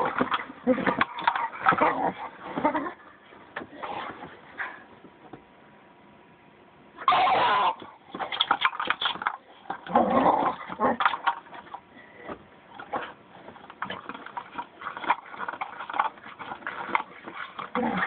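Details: Bella, a pit bull, growls loudly while trying to get a piece of dried sweet potato out of a Jolly Ball; rough, broken growling bursts come in irregular runs with brief pauses, along with rustling and chewing noises.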